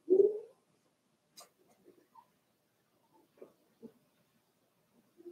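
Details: Daisy's Cavalier King Charles Spaniel puppies, four weeks old, indoors in a pen: one loud, brief nasal whine at the start, then soft clicks and shuffling, with another short whine cut off at the end.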